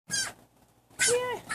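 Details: Pet fennec fox kept indoors, squeaking in two short bursts: a brief high squeal, then after a pause a longer, louder squeak with a falling tone.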